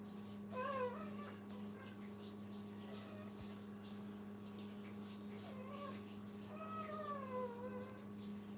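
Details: Puppies with their mother at a training kennel give a few high, thin whines that slide downward, one near the start and a longer pair toward the end, over a steady low electrical hum.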